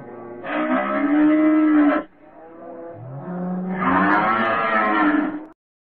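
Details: Two drawn-out cattle moos, each about one and a half to two seconds long, full and nasal with dense harmonics, separated by a softer lower grunt.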